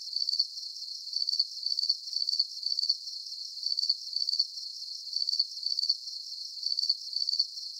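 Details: Steady cricket chirping for relaxation: shrill, buzzy chirps made of quick pulses, grouped in twos and threes and repeated with small pauses, over a faint high hiss and nothing lower.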